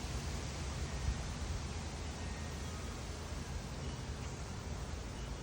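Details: Only a constant, muffled roar fills the recording, heaviest in the low range like wind buffeting or a far-off engine. No calls, songs or buzzing of any animal stand out.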